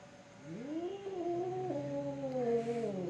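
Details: Cats fighting: a drawn-out wavering howl that rises at the start and then holds with slow wobbles and pitch steps for about three seconds. Some room noise underneath.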